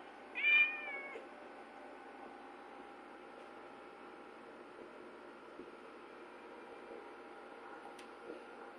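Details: Domestic cat during a fight between Ziggy and Chino; one loud, wavering, harmonic meow under a second long near the start, then only a steady low room hum with faint tonal whine for the rest.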